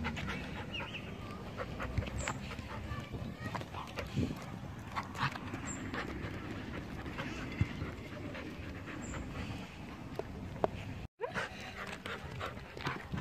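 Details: Labrador Retriever beside a carousel, panting steadily in soft, rasping breaths over a constant background hum, with faint high tones recurring every few seconds and a brief dropout near the end.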